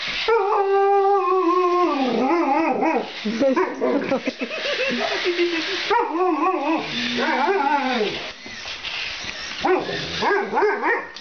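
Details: Alaskan Malamute playing with a remote-control Spider-Man toy, giving a long steady howl followed by a run of wavering, yodelling woo-woo vocalisations that rise and fall in pitch, broken by short pauses.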